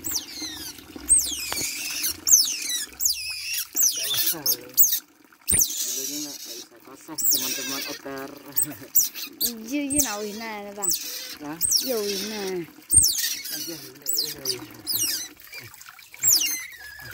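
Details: Young otter during bath time giving shrill, high squeaky chirps that sweep downward, repeated rapidly in bursts, over human voices talking and background music.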